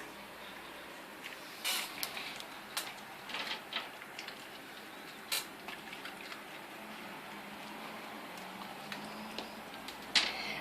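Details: Quiet indoor room tone with scattered light clicks and taps and no animal voice.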